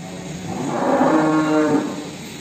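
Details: Cattle in a breeding pen where a calf has been born: one sustained, rich, harmonic moo rises and holds for about a second before fading, with steady background hum.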